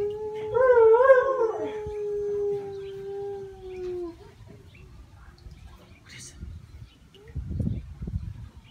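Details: Howl of a pet puppy: a brief quavering rise and fall, then a steady held tone that sinks slightly and stops after about four seconds, followed by faint low rumbling and shuffling noises.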